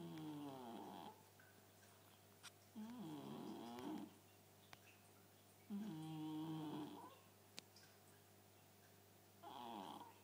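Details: Cléo, a Chartreux cat, snores very loudly; drawn-out rasping breaths with wavering harmonic bands, each about one to one and a half seconds long, separated by quiet gaps of two to three seconds, with a steady low hum behind.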